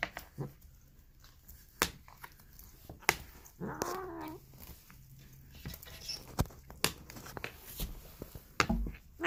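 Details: Polydactyl domestic cat making weird, raspy noises indoors; one short wavering harmonic meow with a gravelly edge, surrounded by clicks, knocks and handling noises in a small room.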